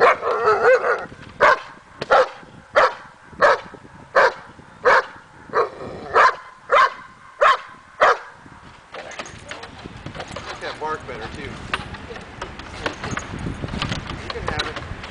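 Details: Steady run of about a dozen loud, evenly spaced barks, roughly one every two-thirds of a second, from Daja the dog during agitation table training for confidence; the barking stops and a broad noisy rustle follows.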